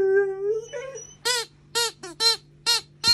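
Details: Young female Alaskan Malamute, curious yet scared of a new squeaky alligator toy, getting talkative: a rising tonal whine fading out, then a quick run of five short yelping barks, steady hum beneath.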